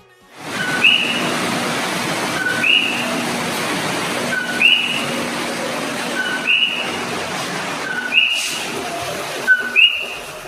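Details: Common coqui frogs, invasive on Hawaii's Big Island, give loud high-pitched two-note 'co-QUI' nighttime mating calls, repeated about every two seconds.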